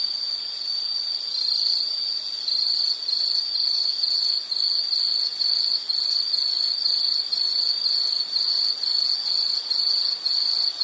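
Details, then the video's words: Insect calling outdoors: a constant high trill at first, then breaking into rapid pulsed chirps repeated roughly twice a second, sharp and shrill over a quiet hissy background. "Nature Sound of nature sounds scenery L · insect"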